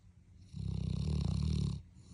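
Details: Dog snoring, one drawn-out low vibrating snore lasting over a second, rough and fluttering, steady in loudness before dropping away into a quiet room.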